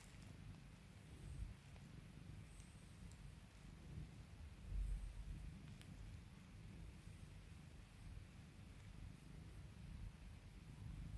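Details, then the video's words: Domestic cat purring while its owner calms and pampers it; a soft, continuous low rumble with a steady pulsing texture that swells slightly near the middle, quiet overall, with faint rustling above it. "CAT PURRS"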